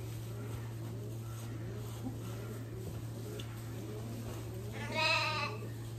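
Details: Alpine goat giving one short, nasal bleat with rich harmonics near the end, after several quiet seconds, over a steady low hum.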